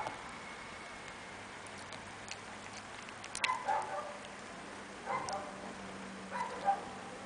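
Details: Playing Chihuahua puppies: a few brief, thin whimpering squeaks come in small bursts a second or two apart, mixed with light ticking clicks and tapping on a quiet background.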